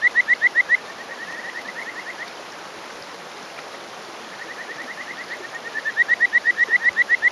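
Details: Male Kajika frog calling from a rock in a stream in rural Hofu, Yamaguchi, Japan, on a May morning; rapid series of short rising whistled notes near the same pitch, loud at start and end, softer trill between, over steady stream rush.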